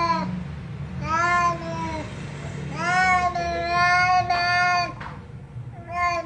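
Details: Cat featured in a comical meowing compilation, repeating clear harmonic meows: a short one, then one arching over a second, a longer sustained cry, and a final brief meow, over low indoor hum.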